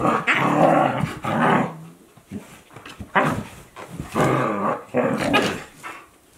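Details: Two Akita Inu, a 14-month-old and a 2-month-old puppy, growl and grumble in bursts as they play together.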